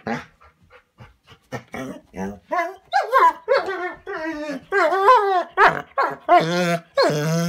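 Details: Bernese Mountain Dog kept inside a cabin, protesting at being left out of a walk. Short grumbles build into longer drawn-out moaning woo sounds with bending pitch, each lasting about half a second, rising in loudness toward the end.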